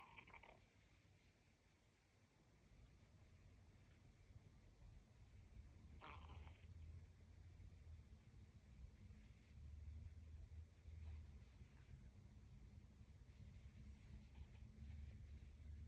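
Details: Shiba Inu. A sleeping Shiba Inu gives soft, deep snores, a low throaty rumble that swells with each breath. A couple of brief rustling knocks break the steady drone.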